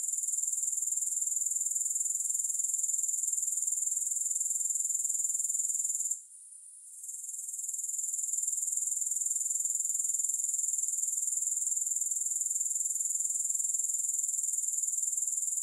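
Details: Continuous high, pulsing grasshopper chorus, sharp and metallic, broken by a short quieter gap around six seconds before resuming steadily to the end; nothing else audible.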